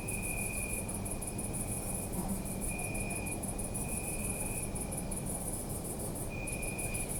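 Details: Crickets at night in a city park, a rapid pulsed high chirping running almost without pause, with a second insect giving long steady trills that start and stop, over a low rumbling urban background.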